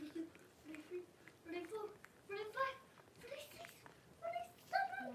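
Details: Blenheim Cavalier King Charles Spaniel puppies, a litter of five born at New Year, in an indoor puppy pen with their mother Paris. Short tonal whines and squeals rise and fall in about eight bursts, with quiet gaps between them.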